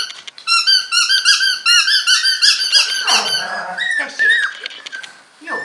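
English Cocker Spaniel puppies give high, squeaky whines and yelps in quick, uneven succession indoors.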